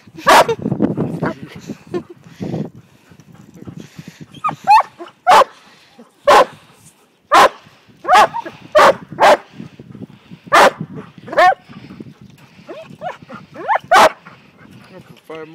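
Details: Briard puppy, five months old, herding and seeing sheep for the first time; a series of sharp, loud barks at uneven intervals, some whiny yips between them, with people talking in the background.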